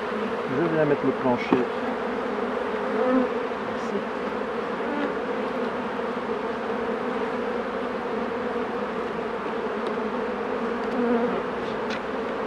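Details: Continuous low droning of honey bees around hives being worked by a beekeeper, an even hum throughout, with a brief murmur of human speech near the start.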